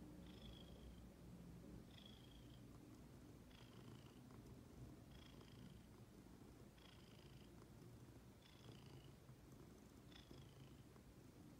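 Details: Purring from Ginger, a female pet cat: a low, even rumble lasting throughout, punctuated by seven rhythmic high whistling breaths about every one and a half seconds.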